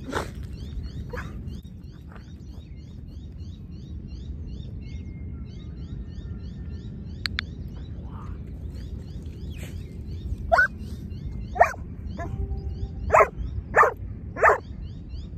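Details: At lure training, a Giant Schnauzer is heard over a long quiet stretch of low rumble and soft high chirps, then a run of five or six short, punchy barks near the end.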